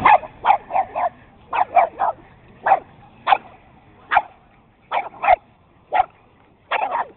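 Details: Beagles, a Boston terrier, Jack Russell, chihuahua and puggle romp in a game of chase; rapid high-pitched barks fire in clusters of two to four, roughly twenty-five sharp yaps packed into a few seconds.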